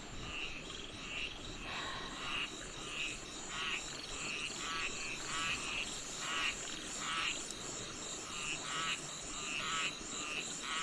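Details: Frogs calling at night near a tent in the forest: steady series of short, rasping croaks repeated about every half second, rendered by the listener as 'aek aek aek', over a faint insect hum.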